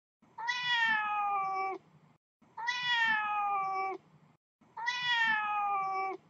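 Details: Kitten Snow, a male, outside the house while being watched, gives three long, drawn-out harmonic meows about two seconds apart. Each holds a steady pitch, then sags slightly before it cuts off. Faint low rustling sits underneath.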